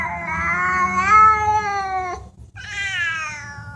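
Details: Talking cats: a long, drawn-out meow of about two seconds that holds steady, then dips at its end. After a short silent break a second, higher meow begins.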